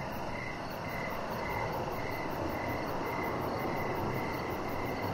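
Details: Evening crickets outdoors near a deck, short pulsed chirps repeating quickly, about three per second, with a fainter higher pulsing layer above and a constant low rumble of background noise.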